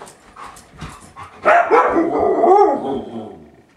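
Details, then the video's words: Siberian Husky reacting to the Windows XP startup sound: after quiet murmurs, a loud drawn-out wavering howl-like yowl begins and bends up and down for about two seconds before fading. "Siberian Husky Hates Windows XP"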